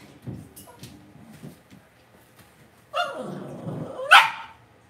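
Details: Cavalier King Charles Spaniel puppies kept in an indoor home pen. Soft shuffling and faint noises give way to a drawn-out whine that climbs into a sharp, high yelp near the end.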